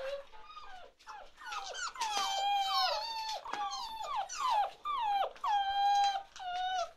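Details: Chocolate Labrador Retriever puppies, 47 days old, from Ruby's litter, indoors in a small room; several overlapping high whining whimpers that slide downward, some short yips among them, continuous across the clip.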